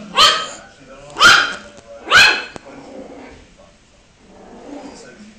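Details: Puppy yapping in three loud, high barks spaced about a second apart, followed by softer background voices and noise.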